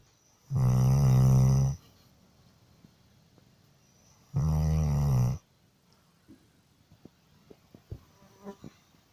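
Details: A sleeping pet dog snoring: two long, deep, rumbling breaths about a second each, spaced roughly three seconds apart, followed by quiet with a few soft clicks and rustles.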